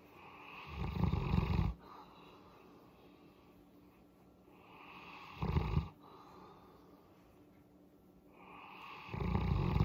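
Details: Boerboel named Molly, a mastiff-type dog, rumbling contentedly during a head massage: deep, low snoring-like growls in bursts of about one second, repeated every four seconds with quiet breathing between.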